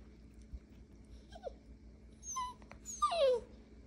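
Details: A miniature Poodle puppy whines in high, sliding whimpers while begging.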